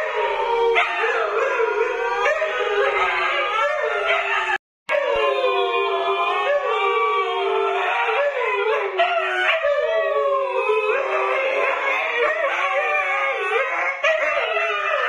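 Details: Group howl from Siberian Huskies Luna, Gizmo, Arya and the puppies: many sustained, sliding voices weave over one another, breaking briefly near the five-second mark before resuming in a dense, undulating chorus.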